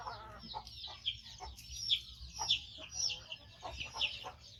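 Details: Young rescued monkey, a five-month-old male that lost one foot to a trap, calls while waiting to eat: a run of sharp, high squeaky chirps in quick, irregular bursts.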